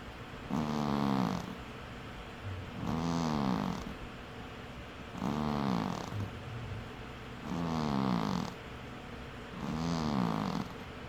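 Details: Sleeping cat snoring: five rhythmic rasping snores, one roughly every two and a half seconds, each a harmonic-rich breath swelling and fading, with quiet pauses between.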